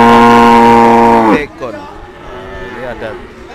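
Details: Cattle at the Kliwonan cattle market in Kediri, East Java, Indonesia. One deep, steady, droning moo lasts about a second and a half, then people talk in the busy market.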